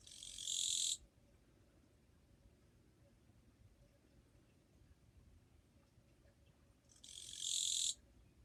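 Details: Japanese katydid song recorded 2 July 2023, described as relatively quiet: two separate rasping, buzzy bursts, each lasting about a second, spaced roughly six seconds apart with near-silence between.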